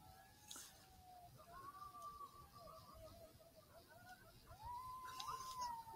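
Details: Several coyotes in Southwest Wisconsin, answering an initial electronic call, give distant, drawn-out howls that waver and bend in pitch, overlapping; near the end one voice swoops up into a higher quavering note.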